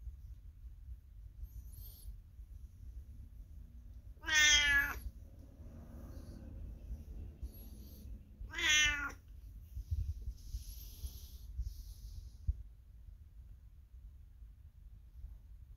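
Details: A 22-year-old cat indoors calls out from the next room to the passing owner; two brief, bright meows about four seconds apart over a low room hum, with faint rustling and light knocks.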